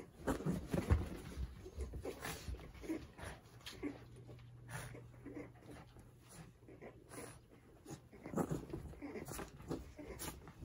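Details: Cavalier King Charles Spaniel playing rough with a cushion indoors, filmed 13 June 2021: short low growly bursts and huffs at the start, then scattered scuffling and thumps with a steady low hum in a small room.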